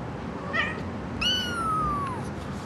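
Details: Half Siamese, half Himalayan kitten giving a soft short mew, then a longer clear meow that starts high and slowly falls in pitch, over a quiet indoor hum.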